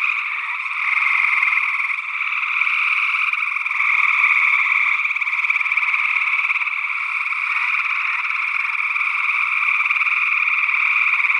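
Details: Gray tree frog calls from Northwest Wisconsin in early June 2022, taken with matched ORTF condenser microphones. A thick, unbroken trilling chorus of numerous frogs with rapid pulsing and small shifts in loudness, another frog species faintly mixed in.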